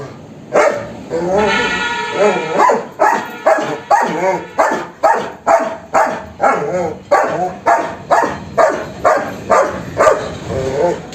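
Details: German Shepherd giving a steady run of about twenty loud barks, roughly two per second. A long, tonal whine-like note is heard early on, then there are evenly spaced harsh barks to the end.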